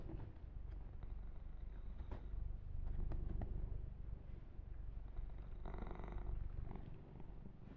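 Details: Kitten purring during a gentle ASMR massage, a continuous deep rumble pulsing roughly four times a second, with brief rustling and a short brushing noise partway through.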